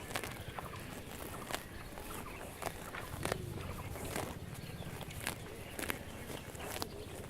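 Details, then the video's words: Cows eating grass while grazing: irregular sharp tearing and crunching bursts every half second or so over a steady low rumble, with faint rustling in between. "Cows eating grass"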